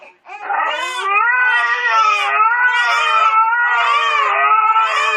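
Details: A Siberian Husky howls in a long, wavering, mid-pitched voice that swells and dips without a break, having begun howling when a baby cried.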